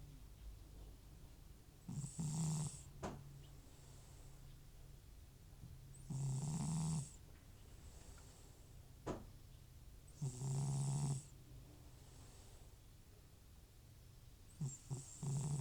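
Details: Old house cat Butcher sleeps soundly, FIV-positive, snoring from nasal trouble that returns off medication; loud, rough, low snores come roughly every four seconds, each lasting under a second, with soft breathing between.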